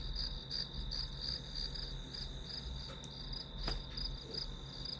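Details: Grass insect chirps repeat quickly and evenly in a high band, over a low droning hum, with one sharp click midway.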